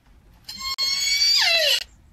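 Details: Southern resident killer whale (Orcinus orca) S1 call, the call most often made off Lime Kiln Point, nicknamed the "cowboy call" for sounding like "yeehaw": a strained, squealing whistle bending sharply downward at the end.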